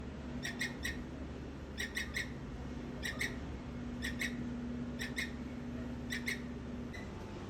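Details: On a rainy day, a squirrel gives short, sharp chucking calls in quick pairs and triplets, repeated every second or so.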